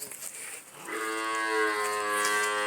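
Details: Holstein Friesian cow at a dairy farm in Punganur giving a loud, sustained moo that rises slightly and holds a rich, steady tone for nearly two seconds, with faint farm noise in the background.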